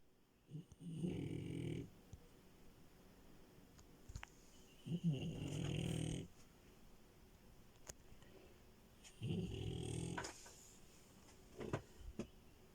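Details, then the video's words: Sleeping female French Bulldog named Milo, a bed crasher, snores in three long rumbling breaths spaced roughly four seconds apart, each low and throaty, with faint snuffles in between inside a quiet room. "Frenchie love and her snores"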